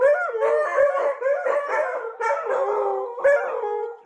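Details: Howling dogs or puppies imitating wolves, several voices overlapping in a continuous wavering chorus with brief yelping accents at intervals.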